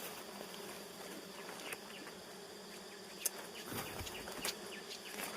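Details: Honeybee colonies at their nests, three in all, giving a continuous low droning hum over several seconds, broken by a few sharp taps and rustles.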